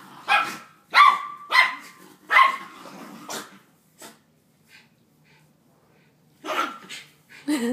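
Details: Fighting dogs, pit bull versus Jack Russell: a quick run of five harsh, snarly barks, a pause of several seconds, then two more loud barks close together.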